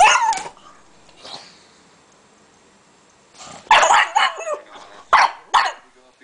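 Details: Pug barking while attacking a laptop indoors: sharp broadband barks, one at the start, then a cluster of three or four loud barks after a long quiet gap, with faint background sounds between.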